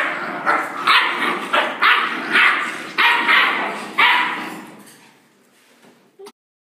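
Rottweiler puppies give a run of high, yappy barks, several to a second, before falling quiet.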